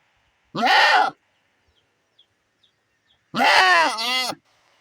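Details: Separated from her herd while her kid suffers diarrhoea, a female goat cries out for the herd: two loud, strained, quavering bleats about two seconds apart, the second longer and falling, with near silence between.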